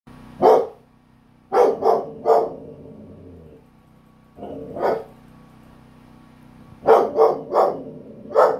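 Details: Belgian Malinois barking at a very small lizard: loud, sharp barks, singly and in quick runs of two or three, separated by pauses, over a steady low hum.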